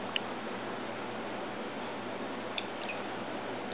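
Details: Even background hiss indoors, broken by a few soft drip-like clicks.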